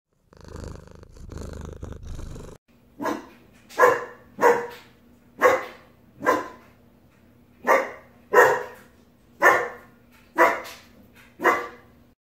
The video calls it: German Shepherd Puppy Barking